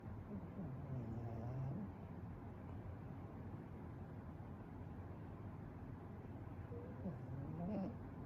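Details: A soundly sleeping Pekingese snores continuously in low, rumbling breaths with a nasal, droning edge.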